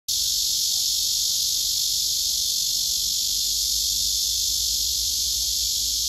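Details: Male cicada singing a serenade to a female below him, who backs away: a steady, unbroken, high hissing buzz at full strength throughout, with no pauses or change in pitch.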